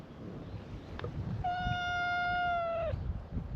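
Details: One stray cat at a cat gathering on a cat island greets a visitor with a sustained, level, clear meow about a second and a half long, dropping briefly at the very end, over quiet low background noise.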